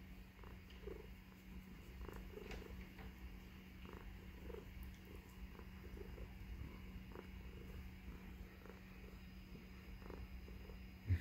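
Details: Tuxedo female house cat purring while nestled in a man's beard indoors; low continuous rumbling purr with a steady hum, soft rustling and a man's quiet voice nearby.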